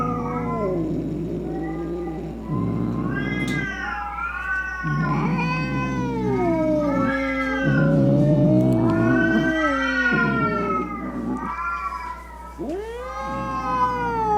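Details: Cat caterwauling angrily, used to scare off rats, opossums and rival cats; a chain of harsh, wavering yowls rising and falling in pitch, some growly and low, others ending in sharp upward wails, over a steady low hum.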